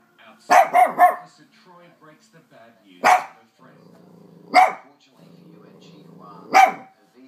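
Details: Lhasa Apso frightened by the hoover: a quick burst of three sharp barks, then single barks spaced a second or two apart, with the vacuum cleaner droning between them.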